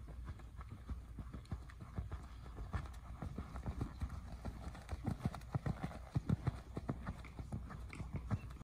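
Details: A seven-year-old gelded purebred Lusitano moves with slow, irregular hoof thuds, about 49 per minute, deep and muffled, with scattered sharper knocks toward the end.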